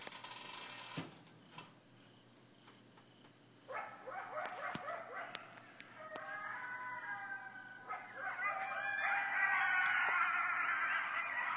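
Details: Several frantic coyotes roughly 50 feet from a cabin porch in Hendersonville: scattered yips build into a rising, wavering chorus of overlapping howls and yelps that grows loudest near the end.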